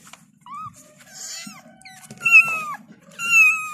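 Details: Kittens meowing as they call for their mother: several short, high, downward-sliding mews with bright harmonics, scattered irregularly, louder toward the end, over a low background hum.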